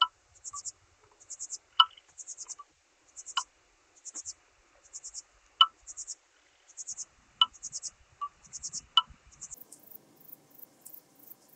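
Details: Red band-winged grasshopper from Mörnsheim, Germany, 14 July 2023, giving soft, high, rapid triple-pulsed chirps repeated about every half second, mixed with louder separate clicks, ending in faint scratchy rustling.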